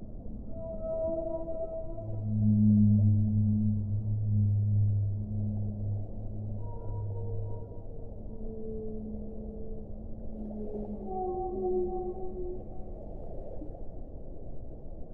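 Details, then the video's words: Whale singing a sequence of drawn-out low groans, louder swelling moans in the middle, then higher sliding and wavering tones that bend downward, all layered over a constant deep watery hiss. "1 ora di suono delle balene"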